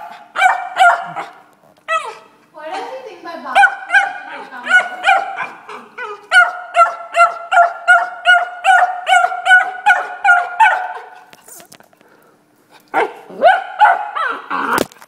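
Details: A Beagle barks at a bottle stuck under the couch, trying hard to get it out. Loud, harmonic barks come in quick bursts, several each second. Whiny, yelping notes are mixed in. There is a short pause near the end before the barking resumes.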